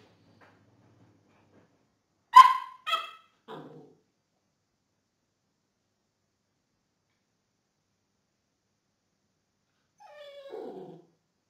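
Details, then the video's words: Belgian Tervuren shepherd dog at gun training gives two loud, clear, harmonic barks in quick succession, then a lower, softer bark, and after a long silence a final drawn-out, falling bark. "berger belge tervueren, gun"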